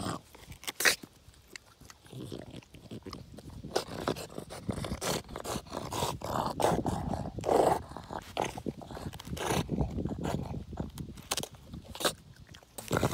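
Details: French Bulldog playing with a log, growling in low, rough, continuous rumbles with grunting bursts and scuffling noises throughout.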